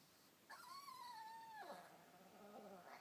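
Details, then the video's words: Chihuahua gurgling in displeasure while another dog hogs the bed: one drawn-out, goat-like wavering tone lasting about a second, holding level before sliding downward and trailing into a lower, softer gurgle. "Chihuahua Gurgling - sounds like a Goat!"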